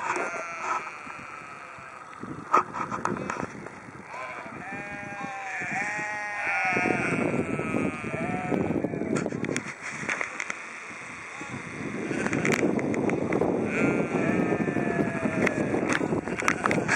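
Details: Sheep in Haugesund, Norway, bleating in long, wavering, quavering calls that overlap one another, mostly between four and seven seconds, with steady rushing background noise and a rough, louder stretch near the end.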